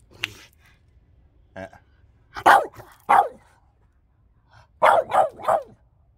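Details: French bulldog named Loki arguing with its owner over coffee indoors, giving short hoarse barks and grumbling yelps in two bursts, a pair then a quick triple, with a faint human voice between.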